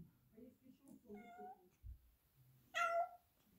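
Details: Black Persian cat meowing indoors because it does not want to stay inside the house: a soft, drawn-out meow, then a louder, higher meow near the end, with a person speaking quietly in the background.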